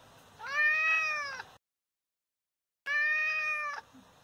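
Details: Injured father cat meowing indoors: two loud, clear, harmonic meows about a second long each, slightly arched in pitch, separated by a silent gap.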